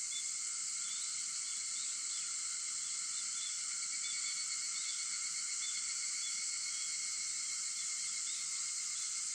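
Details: Continuous cicada chorus at 4:50 am on 4 August: a bright, even, high-pitched sizzle that never pauses, layered with faint steady tones below.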